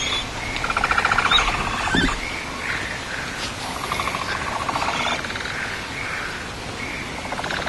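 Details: Capybara father breaking up a group formation, giving bursts of rapid, buzzy pulsed clicking calls in repeated runs, with a few brief squeaks and soft rustling between them.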